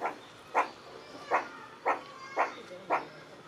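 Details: Meerkat calling with six abrupt, husky barks repeated at a fairly steady pace of roughly two per second, with faint background hiss between notes.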